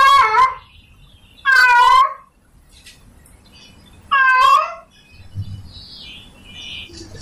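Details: Male domestic cat in heat calling a female: three short, harsh meows in quick bursts, followed by faint high chirping sounds and low background noise.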